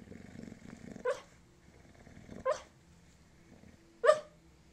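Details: Sleeping Bulldog dreaming, giving three muffled, sharp barks spaced over about five seconds, the first preceded by low rhythmic growly breathing, with quiet snuffles between.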